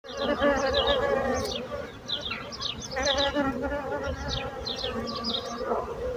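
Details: Bees buzzing with a steady low droning hum and layered overtones, swelling and fading as insects move about, while frequent high chirps from small birds break through in the background.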